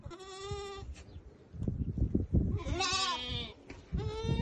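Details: Goats from a herd of about thirty adults with three young bleat loudly in overlapping, wavering, harmonic-rich calls, each lasting about a second, with scuffling and rustling underneath.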